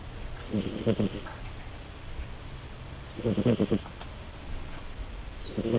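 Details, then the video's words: Frances, a pet female cat, snores while asleep: three bursts of low, rattling, pulsed snoring about two and a half seconds apart, each lasting under a second, with quiet room hiss in between. "Frances snoring"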